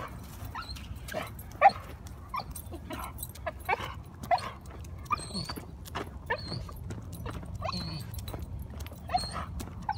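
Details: An excited new dog on the walk from the car to the ball field, keen to play fetch, gives short high squeaky whines and occasional sharp yips at uneven intervals over steady low outdoor rumble.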